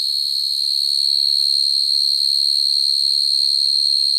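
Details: Field cricket at night calling for a mate, the call used to trap crickets: an unbroken, piercing high trill that stays level and loud throughout, with a weak overtone higher up and a quiet background.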